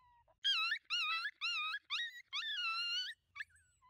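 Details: Five coyotes in a pack moving in at night, watched through a thermal scope: a series of wavering, high, harmonic yip-howls, about six quavering bursts over three seconds, ending in a short yelp, with little background noise.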